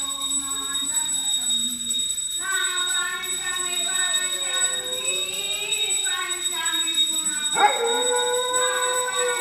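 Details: A dog that always comes to a temple during prayer, vocalizing through the prayer: drawn-out, wavering harmonic whines that rise and fall in pitch, with a sharp yelp near the end, over a steady high ringing tone and faint voices.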